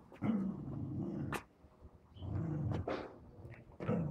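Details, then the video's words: Pet dog at play with a balloon, giving sustained low growls of about a second each with short gaps, ending in a sharper bark, with sounds of movement around it. "My DOGS PLAYING with BALLOON"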